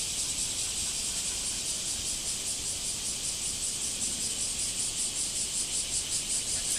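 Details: Backyard cicada chorus after days of rain, a dense high-pitched shrilling with a faint rhythmic throb that holds steady throughout, over a low rumble of background noise.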